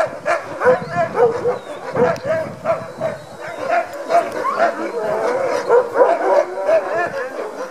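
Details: Eager Alaskan huskies barking at a sled dog demonstration in Denali National Park, Alaska; a steady chorus of overlapping high barks and yelps pulses throughout, with people talking in the background.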